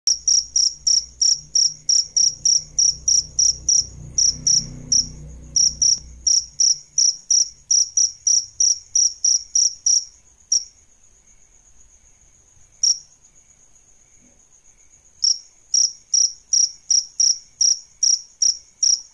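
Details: Adult male and female crickets kept for training songbirds give loud, high chirps repeated about three per second, with a pause near the middle and a low rumble early on.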